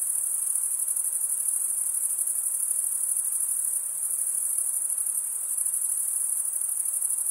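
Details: Stridulating male crickets keep up an unbroken, piercing high trill, a fine rapid pulsing with only slight swells in loudness, no other sounds present.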